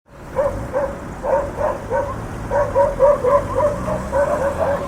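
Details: Dogs barking on a city street with cars moving along it: quick, high yapping barks repeated about four times a second in irregular runs over a steady low rumble of urban traffic.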